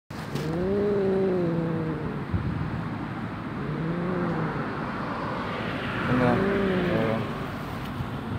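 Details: Stray cat met on the street during a ride, growling yet letting itself be petted; three drawn-out wavering moaning growls with a rising-falling tone, over steady traffic rumble.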